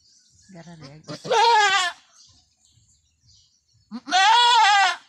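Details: Backyard-farm goat Anime in a difficult first delivery: brief human murmuring, then a quavering bleat, a pause of about two seconds, and a second similar tremulous cry.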